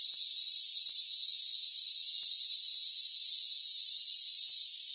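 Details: Rainforest crickets in a dense, unbroken high chorus: several steady shrill trills layered together, holding level without pause, with no low sounds, voices or other animals beneath.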